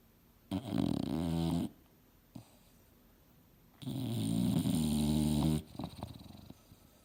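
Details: Mildred, a female English Bulldog, dozing on the couch and dreaming hard. Two long, throaty, growl-like snores, the second stretching nearly two seconds, with a short snort and quiet breathing between them.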